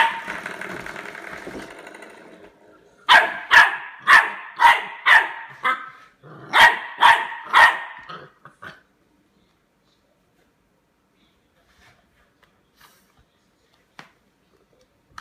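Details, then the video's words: Labrador Retriever puppy aged eight weeks barking at a door stop: a rumbling growly stretch, then two runs of shrill rapid yaps, about two per second, before falling silent apart from faint clicks. "Puppy attacks door stop"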